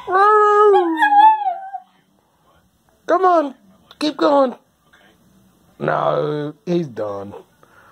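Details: Dog howling indoors as the noon whistle blows, something it does every time: a long wavering, drawn-out howl lasting nearly two seconds, then after a pause several shorter rising and falling howls in quick bursts.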